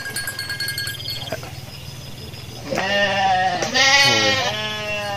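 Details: Garut sheep ewe, giving birth while out foraging, bleats twice after a quiet start: a long quavering bleat, then a shorter, harsher, higher one.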